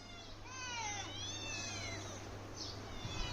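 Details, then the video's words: Domestic cat giving several thin, high meows that slide downward in pitch. Some calls overlap, possibly from more than one animal. A steady low hum sits underneath. "cat । বিড়াল"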